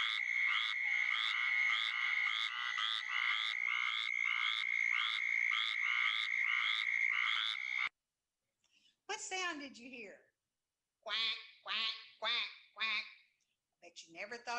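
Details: Rapid raspy quacks from a squirrel treefrog for about eight seconds, set against a constant high tone, then a break followed by a few separate voiced, speech-like sounds.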